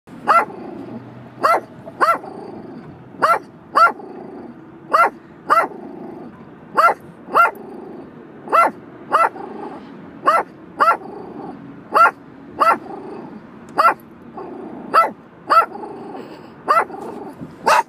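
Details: A Sheepadoodle dog barking in sharp, evenly paced single barks, about one every half second to second, with a low growly undertone between barks and no other clear sounds.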